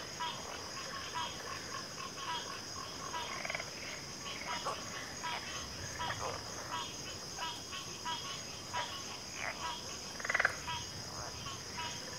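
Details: Backwater frog chorus with sparse, irregular mid-pitched croaks and one louder burst near the end, set against a constant shrill drone.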